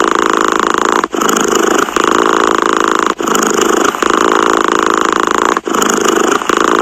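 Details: A cat's continuous vibrating purr, a buzzy pulsed drone interrupted by short breath pauses roughly every two to two and a half seconds, repeating three times.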